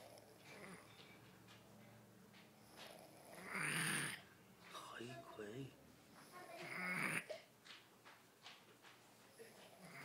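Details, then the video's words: Jonathan, a pet kitten, snoring while asleep indoors: two loud, rough, breathy snores about three seconds apart, with human voices talking around them. "Gato que ronca"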